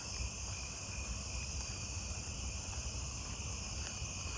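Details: At night, a Nebraska conehead starts up nearby, seemingly close in vegetation, giving a high, steady insect buzz among other night-singing crickets and katydids.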